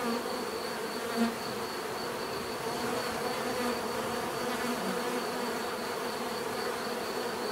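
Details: Bees in nature producing a steady, dense buzzing drone with layered hum bands in the low-mid range and a faint pulsing high tone running throughout; a brief louder buzz near the start.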